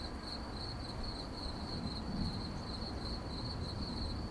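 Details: Crickets at night: a steady high, narrow chirping band pulsing rapidly and evenly throughout, over a broad low rumble of background noise.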